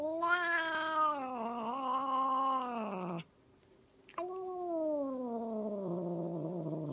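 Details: An angry pet cat howls in two long, harsh, wavering wails, the first steady and loud for about three seconds, the second sliding slowly downward after a brief pause, with a faint click between them.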